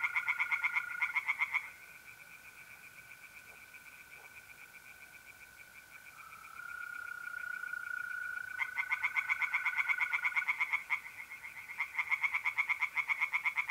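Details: Night chorus of tree frogs in a pond, North-East Italy, mid-April: bursts of fast pulsed croaking break off for several seconds while the continuous high trill of mole crickets carries on, then the frogs resume.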